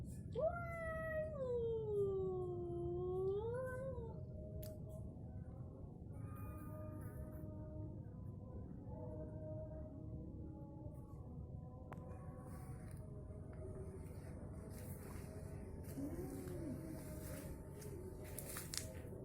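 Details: An orange cat and a striped tabby quarrel, opening with one loud bending yowl that dips and rises over about four seconds, followed by quieter low growls and faint murmurs against a steady background hum.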